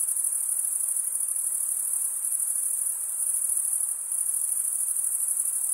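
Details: Crickets, mostly males, stridulating with their wings. Their high, rapid, unbroken trill pulses faintly, dipping briefly in volume near the fourth second before resuming at full strength.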